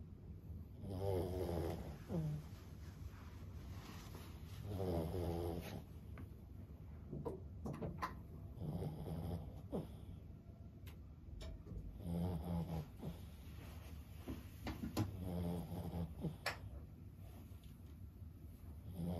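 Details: Lulu, a 15-year-old senior Boston Terrier, snoring while asleep indoors: low rumbling snores in bursts of about a second, each ending in a short whistling rise, with faint clicks and taps between breaths.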